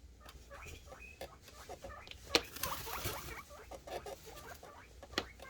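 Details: Male guinea pigs (boars) make short, high squeaks and chirps, excited happy noises while anticipating food.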